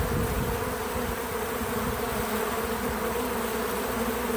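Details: Bees working a feeder fill the short stretch with continuous even buzzing, a thick low hum that holds steady throughout with no other sounds.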